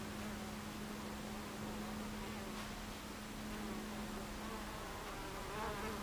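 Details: Honey bees at a beehive entrance on 26 July 2013 at 14:30, a dense steady hum of many wings with a faint low drone held throughout and no pauses.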